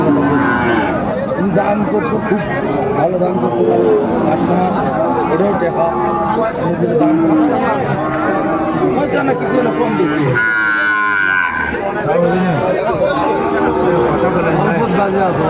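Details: At a crowded market on 9 January 2025, Sahiwal bull calves low amid loud bargaining voices; one strong, harmonic-rich moo stands out late, with other faint lowing and chatter throughout.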